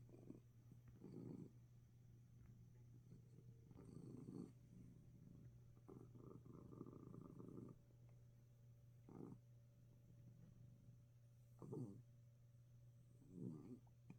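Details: A sick domestic cat purring steadily while relaxing despite sneezing: a low rumbling purr with a constant hum, swelling in rhythmic breaths roughly every one to two seconds, soft and continuous throughout.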